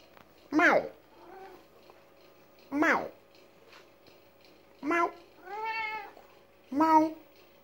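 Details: A pet cat in a heated argument with its owner gives loud, sharp meows roughly every two seconds, each falling in pitch, with a longer drawn-out wavering call between the last two and faint voice-like sounds in the gaps.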